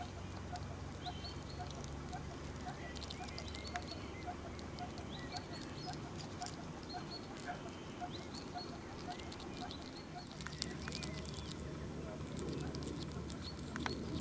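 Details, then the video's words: A hungry hedgehog just out of hibernation eats meat noisily, making wet smacking and crunching clicks over a low background rumble. "schmatzender lieber Igel (cute edgehog eats meat)"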